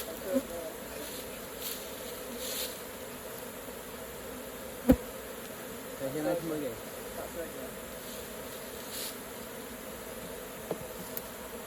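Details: Honey bees at an open hive during raw honey collecting, their steady droning hum holding throughout with brief sharp knocks and a few faint murmurs of human voices.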